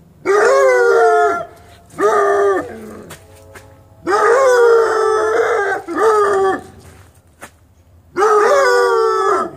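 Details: Young Bluetick and Black and Tan Coonhound puppies howling in a series of short, wavering, tuneful howls about a second each, separated by brief pauses, with a low hum in the background.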